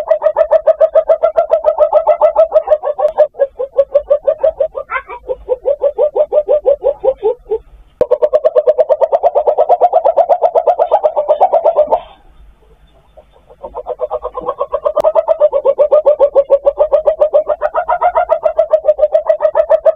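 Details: Palm civet; mating call; calling for a mate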